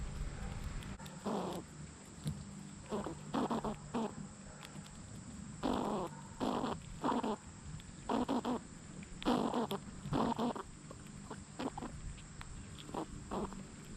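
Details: Squirrel making noises: a series of short, rough, huffing bursts in irregular groups, some chattering, over a steady low hum and a constant high whine.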